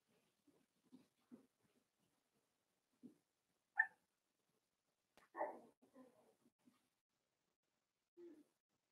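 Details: Four-week-old Cavalier King Charles Spaniel puppies from Daisy's litter, indoors in their pen: soft, scattered whimpers and short squeaks, with one sharper yelp and a brief cluster of whiny squeals, separated by quiet gaps in a still room.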